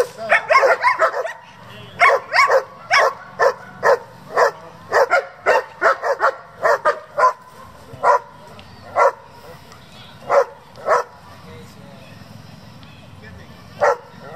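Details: German Shepherd from a working group bred for competition, barking in a fast burst of sharp barks, then slowing to single barks spaced about a second apart, roughly twenty barks in all over a quiet background.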